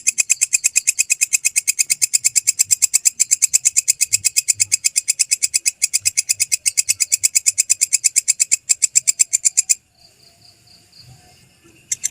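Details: A belalang kecek grasshopper, recorded as a real master track for songbirds to learn, keeps up a long rapid chain of dry, scratchy clicks for nearly ten seconds, stops briefly amid faint background noise, then resumes.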